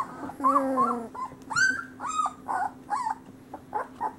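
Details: Several three-week-old Great Pyrenees males, summer 2013 litter of Bella and Ranger, whine loudly: wavering, bending cries and squeals in quick succession, some dipping then rising, over a low constant hum.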